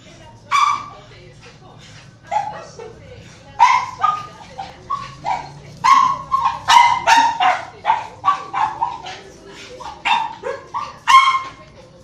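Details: Chihuahua giving a run of short, high yapping barks and whines, bursts repeated irregularly across about a dozen seconds, some in quick clusters, with quiet pauses between and a faint low hum underneath.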